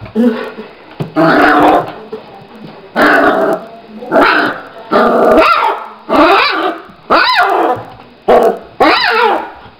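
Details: Gordon Setter puppies playing, giving a run of short barks and growly yips in bursts about every second, some rising and falling in pitch, with brief pauses between bursts.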